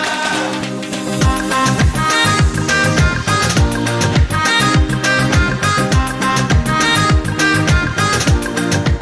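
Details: Loud, rhythmic dance music with a driving beat and layered instruments throughout; no animal can be heard.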